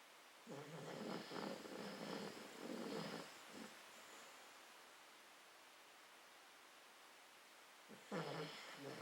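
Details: American Cocker Spaniel named Rush, a pet, snoring: soft rasping breaths in rhythmic bursts for about three seconds, then quiet breathing, and another snore starting near the end.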